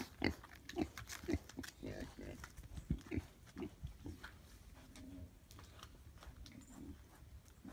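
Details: Two young pigs that escaped from a barn, roaming around a farm, give short low grunts, several in quick succession at first roughly every half second, then softer and more scattered grunting.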